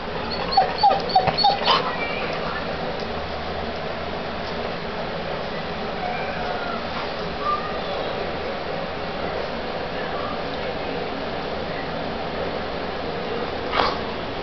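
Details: Young puppies beginning to notice and play with their litter mates give thin, high whimpers and yips, a quick cluster early on, then scattered soft squeaks and one last sharp yelp near the end over steady background hiss.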